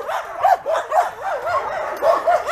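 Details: Homeless mongrel dogs among some 2,000 animals awaiting adoption bark in quick succession, short arched yaps roughly every half second layered over a background din of more barking.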